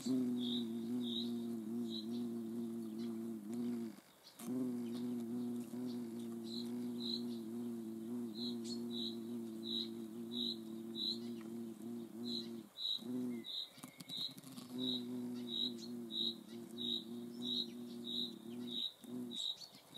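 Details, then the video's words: Hornets filmed in the Eifel region of Germany: a steady low, droning buzz with rich overtones that breaks off briefly twice, while a high, short chirp from another insect repeats about twice per second throughout. "Hornet observation. Hornissen vor der Kamera."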